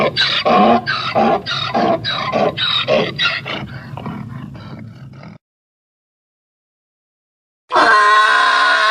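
A donkey gives a series of rasping, see-sawing honks, about four a second, that weaken over five seconds. After a pause, a loud, strained braying note starts again.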